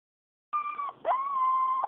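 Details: Four-week-old Siberian Husky puppy named Balto, full-blooded, whimpering indoors: two drawn-out high whines, the first about a third of a second, the second rising then held level for nearly a second, over a quiet background.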